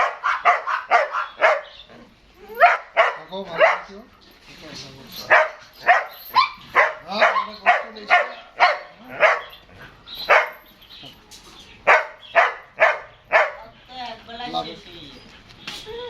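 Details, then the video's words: An eight-month-old German Shepherd barks in Dinajpur, Bangladesh, loud harmonic barks repeated about twice a second in bursts with short pauses, while a man speaks Bengali between them, trying to hush the dog. "German shepherd dog, 8 month baby."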